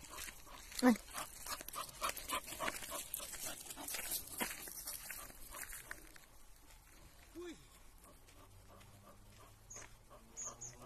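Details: An elderly rescued male Bull Terrier gives one sharp bark, then a short rising-and-falling whine, with people talking nearby.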